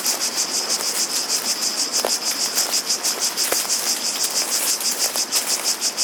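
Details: Cicadas singing together outside: loud, sharp shimmering buzz rising and falling about three times each second, with a couple of brief clicks or taps.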